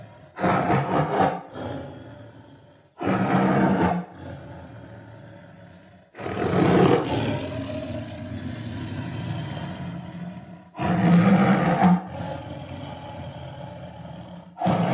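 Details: Tiger roaring repeatedly: five harsh, broadband bursts, each about a second long, spaced roughly three seconds apart, with deep rumbling undertones and quieter growly stretches between them.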